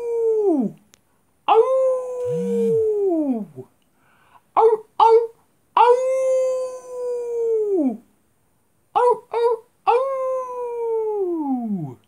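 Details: Dog howling at a big full moon, a second howling session: sustained harmonic howls that hold level then drop in pitch at the end, about four long howls interspersed with brief staccato yips, with silent gaps.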